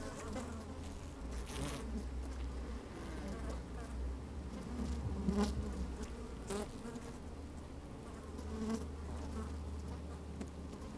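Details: Honey bees working inside an open hive on a fine, sunny day, microphone slid down among them: a steady low hum with harmonic bands, brief louder buzzes rising now and then, plus faint low wind rumble.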